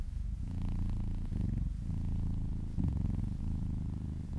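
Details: Domestic cat purring contentedly while being massaged, a low, steady rumbling purr with dense harmonic layers, swelling slightly with each breath and a brief dip near the middle.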